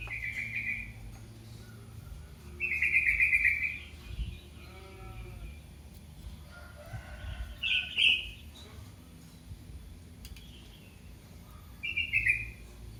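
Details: A young kitten cries out for its mother with four short, high-pitched, strained mews spread across the stretch, some brief and clipped, over a quiet low hum.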